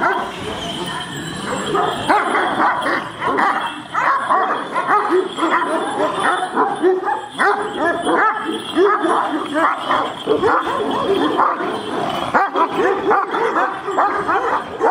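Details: Aggressive Kangal dogs barking at each other; continuous rough, overlapping barks from several animals for about fifteen seconds, with human voices mixed into the din.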